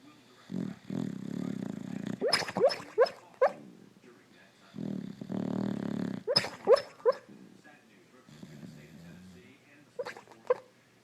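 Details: Sleeping Boxer bitch lying on a couch, alternating low buzzy snores with clusters of quick, high, stifled yipping barks, as if dreaming of a chase; three snore-and-yip rounds in a quiet room.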